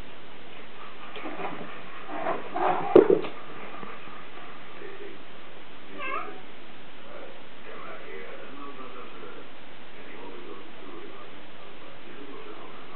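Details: Two kittens, Filip and Ginger Tail, mewing: a cluster of short, strained meows bunched around two to three seconds, then a single brief meow near six seconds, all over a steady low background hiss.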